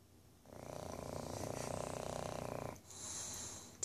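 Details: A male tricoloured English Bulldog, napping in the evening before bedtime, snores with a long, low, fluttering rattle followed by a hissing breath.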